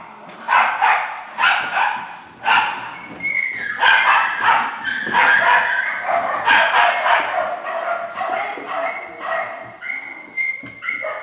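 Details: Several small dogs and puppies in a shelter kennel barking and yipping together in quick, uneven bursts, high-pitched and crowded, with a steady din of many voices throughout.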